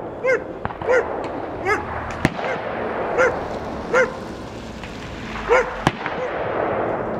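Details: Dog barking at a shooting range at Chabot, competing with the range noise: about six short, sharp barks spaced irregularly, mixed with loud gunshot cracks and steady background rumble.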